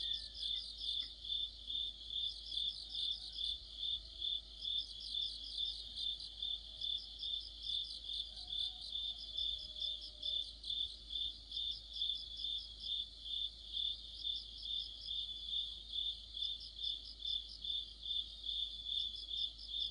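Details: Deep-autumn cricket chorus with other insects near a streetlamp, a long run of evenly spaced high chirps, about two per second, over a continuous shimmering insect trill, with a faint distant whistle.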